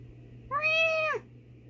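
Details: Nikita, a pet female cat replying to her owner's meowing indoors, gives one clear, harmonic meow lasting under a second, rising slightly then dropping at the end, against a faint steady hum.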